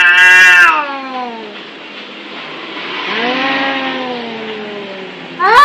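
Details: Cats fighting in anger: a short loud wail falls away into a low, hissing, noisy growl that swells and fades, then a sharp rising yowl breaks out at the end.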